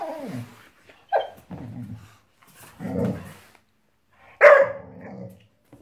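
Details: Five-month-old Boxador puppy, a Boxer mix, reacting indoors to her new Pinky Pig toy: low rumbling growls, then a sharper bark-like yelp, a raspy outburst and a loud final bark, separated by short silences.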